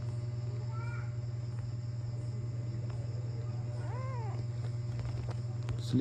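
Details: A male Persian cat gives a short, rising-then-falling meow over a steady low hum.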